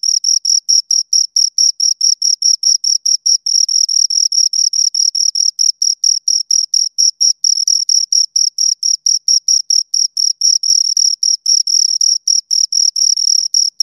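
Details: Pair of crickets producing a fast, even series of shrill chirps, each pulse brief and sharply separated, continuing without pause against a silent background.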